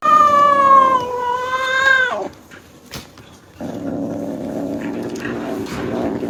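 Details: A kitten excited at the sight of food gives a loud, drawn-out, wavering meow lasting about two seconds. A brief click follows, then a lower, rough, grumbling sound to the end.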